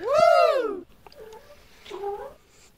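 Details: Indoors, a proud mother cat watches her single kitten play with toys. She gives one loud, arching meow that rises and then falls, followed by two softer, shorter chirping mews. A person's voice comes in between.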